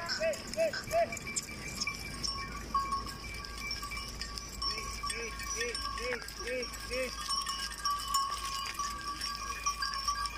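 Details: Goats coming in from the jungle in the Tharparkar Desert, Sindh, Pakistan: short, arched bleats, three early then a quick run of about six, over steady ringing tones, rustling and distant voices.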